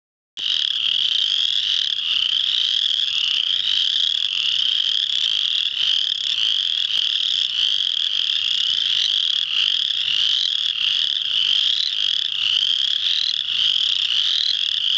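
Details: Spring peeper frogs in full chorus at Muscatatuck National Wildlife Refuge, Indiana, on March 7, 2009: a dense, unbroken wall of high, piercing peeps with many overlapping callers and no other clear sounds.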